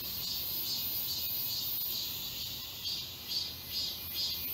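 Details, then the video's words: Distant cicadas singing together in a Seoul park forest, Galsan Park, in summer. The high buzzing rises and falls in regular pulses about twice a second over a quiet background. "여름 자연의 소리. 매미울음소리."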